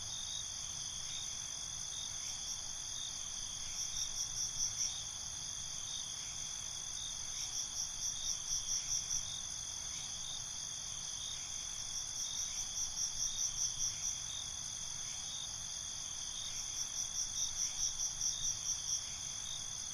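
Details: Crickets chirping at night in a binaural night ambience: a steady high trill layered with bursts of rapid pulsed chirps roughly every four to five seconds, over a constant background hiss.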